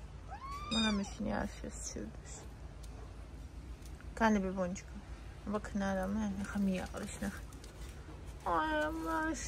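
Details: Domestic cat meowing on a morning of October 21: a clear rising, nasal meow early on, then further short harmonic calls interleaved with a person's affectionate talking in a small room.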